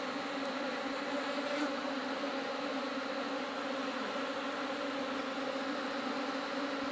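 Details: During a honey harvest, smoked honey bees keep up a thick, even droning buzz lasting several seconds, steady in pitch and volume without pauses.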